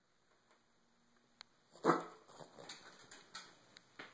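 A Boston terrier gives one sharp, snorting bark, then a string of shorter sneezy huffs.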